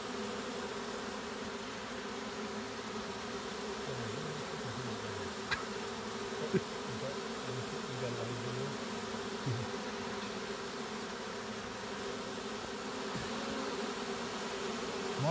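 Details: Swarm of honey bees walking uphill into a hive while being caught; continuous low, even droning buzz throughout, with brief faint human voice fragments and a couple of sharp clicks in the middle.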